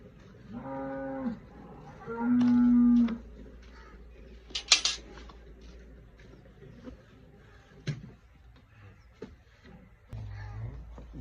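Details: Cholistani cross cow, a Friesian or Jersey cross, lows twice: a brief moo, then a longer, steady, flat-pitched one. Scattered clicks and knocks follow over a faint low hum, and a man speaks Punjabi afterward.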